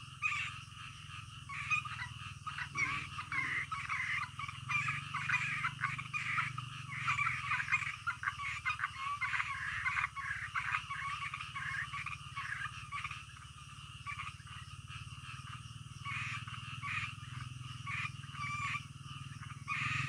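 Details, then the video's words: Night frog chorus: overlapping raspy croaks pulse continuously for twenty seconds, dense and unbroken, with a constant low droning hum underneath. "SUARA KODOK DITENGAH MALAM"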